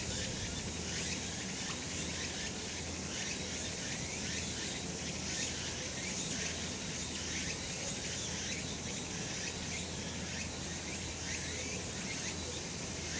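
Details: Cicadas calling on a summer mountain in a sunny spot: a dense, steady high-pitched buzzing chorus with faint rhythmic pulses near the top about once a second, over a low constant hum.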